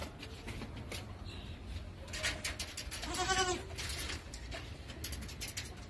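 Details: Angry goat, upset after being put out of the house, a goat that refuses to leave once let indoors even when dogs fight it; one quavering, wavering bleat midway through, over a steady hiss of background noise.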